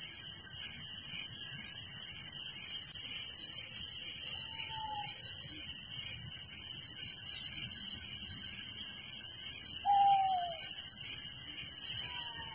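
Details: Crickets trilling steadily at night in a village, a thick high pulsed chorus, with soft falling whistles at about four and ten seconds and again at the very end.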